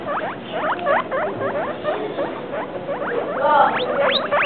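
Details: A two-week-and-three-day-old guinea pig calls with quick hooked whistles, each note sweeping up then down, spaced a few per second, growing louder and higher in the final second over soft room noise.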